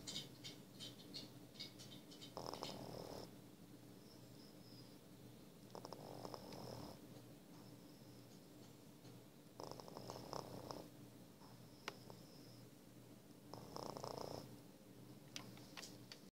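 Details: F1 Savannah cat asleep and snoring, each rough, airy breath rising and fading at steady intervals of roughly four seconds against a quiet room hum.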